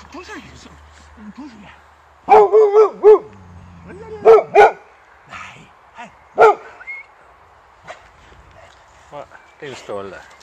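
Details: Boxer Rex greeting his old friend Anders at a reunion a year after their first meeting, at first finding him strange: short, loud, yelping barks in clusters at about two, four and six seconds, with Swedish talk between.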